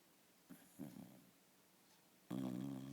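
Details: Sleeping Shiba Inu snoring indoors with a funny face: a couple of soft short breaths, then one loud, rough, buzzing snore at the end.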